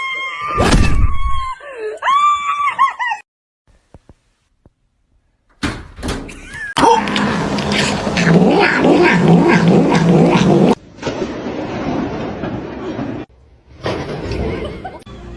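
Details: Domestic cat meowing indoors: a few drawn-out, wavering meows with bending pitch in the first two seconds, then a long burst of loud, rough, harsh noise with thumps and scraping.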